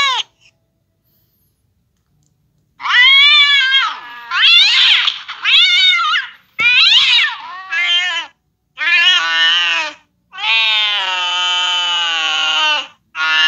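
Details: A cat reacting to the sound of a cat fight: loud, drawn-out harmonic yowls and wavering caterwauls in bursts of one to three seconds, separated by short silences. The final call is a long, steady wail.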